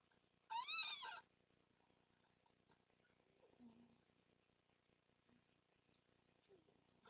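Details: Red fox pups squealing as they suckle at a den in the Netherlands on 30 March 2014, their mother making comforting sounds; one loud wavering, rising-and-falling squeal lasting under a second, then faint low murmurs and rustling.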